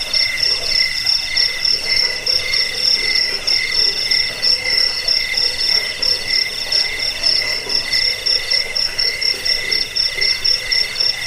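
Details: Crickets chirping en masse, a sound meant to chase off rats, lull listeners to sleep and teach birds; piercing high trills pulse rapidly and evenly in overlapping layers, uninterrupted for the whole stretch.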